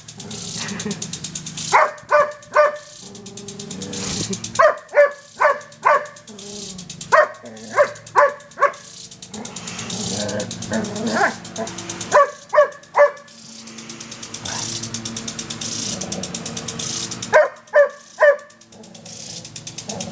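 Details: Irene, an Irish Setter in her backyard, barks at a water sprinkler she treats as an unwelcome guest: short bursts of three to five sharp barks recur about every two to five seconds, over the sprinkler's steady rapid ticking.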